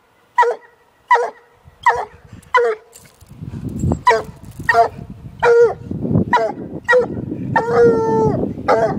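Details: Year-old female Walker hound barking at a caged raccoon she has seen only once before: quick ringing barks, then a longer bawl near the end, over a rising low rumble of background noise.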